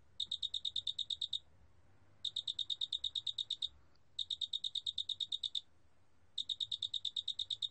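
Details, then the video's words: Large spotted cricket calling: bursts of about twelve quick, evenly spaced pulsed chirps at a high, clear pitch with a fainter overtone above, each burst just over a second long, separated by brief silences, against a faint low hum. "큰알락귀뚜라미, 여러번 듣기, 곤충소리"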